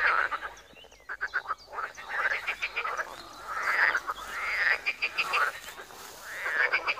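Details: Pond frogs in Wiry croaking together, layered rapid rattles and swelling trills that surge roughly every one to two seconds, forming a continuous busy chorus.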